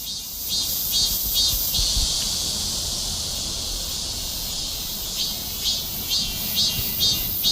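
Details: Cicada singing: a continuous, dense, high-pitched buzzing hiss that holds steady throughout, with faint rhythmic pulsing on top and a low rumble of background noise.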